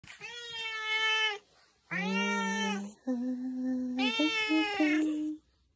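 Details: Tuxedo cat Zakio, indoors in the morning, answers a greeting with three long, drawn-out tonal meows, each over a second, the later ones lower and wavering, with brief quiet gaps between them.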